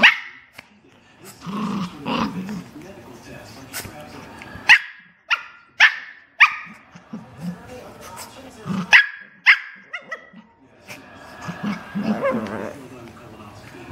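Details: Two dogs play on a couch, one pulling the other's hair: sharp barks come in quick bursts with growly yaps between them, and people talk over the play.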